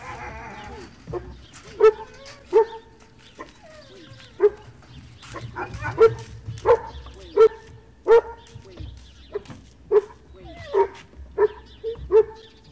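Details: A dog at breakfast at a service dog project in Ipswich, Massachusetts, USA, recorded 30 November 2017, gives short, sharp, harmonic barks roughly every second, about a dozen in all, over a low indoor hum.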